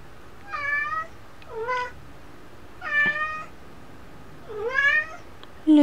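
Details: Lucy, a pet cat, recorded indoors in December 2013, gives four clear harmonic meows, each about half a second long, some rising then falling, spaced roughly one to two seconds apart in a quiet room.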